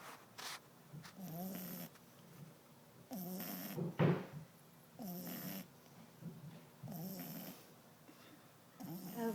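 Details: Eleven-week-old French Bulldog puppy asleep and snoring: rasping, wheezy snores come roughly every two seconds, about five in a row, with one sharper snort midway and soft breathing between.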